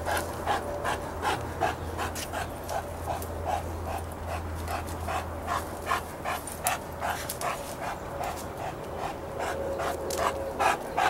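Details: Sustained rapid panting, pulsing steadily for eleven seconds, as Chester the St. Bernard trails Izzy the German Shepherd, Cody the Golden Retriever and Clifford the Great Dane by a lake. A low hum runs beneath much of it.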